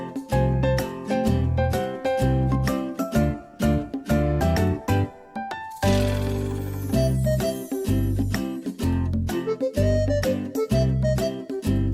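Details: Bright instrumental music with jingling bell-like tones and a steady beat, with a brief cymbal-like wash near the middle; no animal sound is heard.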